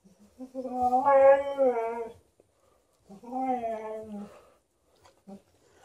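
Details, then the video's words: A 13-year-old Golden Retriever howls indoors to demand more petting, with a Malamute in the household. Two drawn-out, wavering, tonal howls with a rich, voice-like quality, separated by a pause, then soft murmurs. "13-yo Golden Retriever vocally demands more petting"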